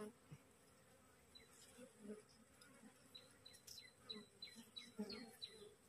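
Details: Wild honey bee swarm from a freshly split colony, resting on a cassava plant while being coaxed toward its queen. Low, droning hum with short flights passing close, plus faint rustling.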